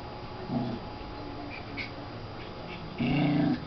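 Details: Puppies about four to five weeks old at play indoors: a short low harmonic growl-whine early on, faint squeaks in the middle, then a longer, louder moaning growl with clear overtones near the end.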